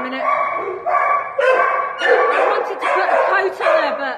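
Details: Holly, a female Podenco at the Valencia municipal dog pound in Spain, gives a run of harmonic, yelping barks and howl-like cries, about five bursts in four seconds, some sliding downward at their ends.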